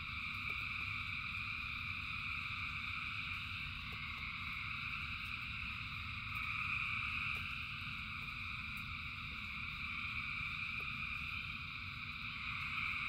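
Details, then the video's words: Frogs by the thousand calling in rain make a seamless high trilling chorus that swells slightly midway, backed by a continuous low rumble and scattered faint clicks. "Frogs in Rain 2 Hours of Frogs, Thousands of Frogs Singing"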